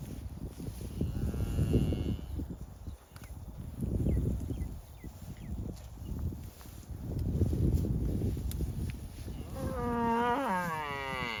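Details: A herd of cattle grazing together gives a short, rising-then-falling moo after a stretch of low, rumbling field noise.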